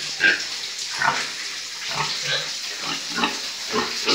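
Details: Breeding boars on a pig farm: short, low grunts recur irregularly over a steady background hiss.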